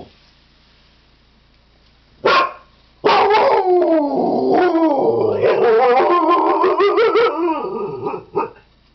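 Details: Siberian Husky dog howling, starting with a short bark, then a sustained quavering howl lasting about five seconds that climbs and dips repeatedly before fading, ending with one brief yelp.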